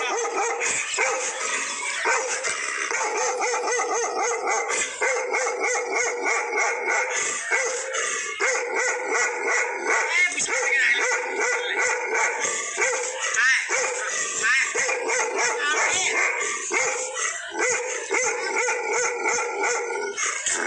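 A Bakarwal dog gives a long run of loud, rough barks aimed at a stranger, with some yelping, howl-like notes mixed in. The barking is dense and nearly continuous, with few breaks between outbursts.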